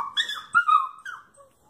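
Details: Nine-month-old miniature pinscher mix puppy crying and howling from separation anxiety as its owner leaves the house with another dog for a walk; a wavering, whining howl that rises and falls, broken once by a short gap, then tails off.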